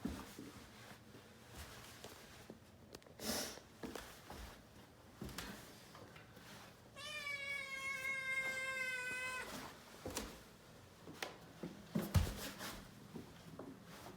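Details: Rescue kitten, one of Shishimaru and Nana, indoors on New Year's Day, its 67th day home, exploring down the stairs after a Churu treat: a single drawn-out meow of about two and a half seconds, slightly falling, amid soft thumps and footsteps.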